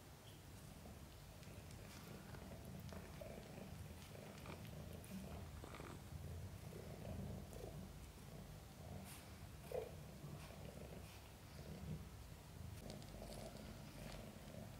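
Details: Mother cat Chan purring while giving birth to five kittens, some born backwards during a difficult labor; a steady, low rumbling purr runs throughout, with faint soft clicks and rustles indoors.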